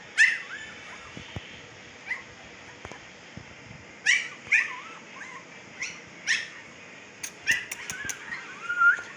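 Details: Young Siberian Husky pups at fifteen days old, Pakistan, keep up a restless series of piercing yelps and wavering whines, several per few seconds, with faint clicks and knocks in the background.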